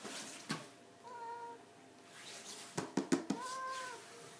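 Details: ['Two short, even meows from a 17-year-old cat, each about half a second, separated by a quick burst of four taps or knocks indoors with a faint background hum.']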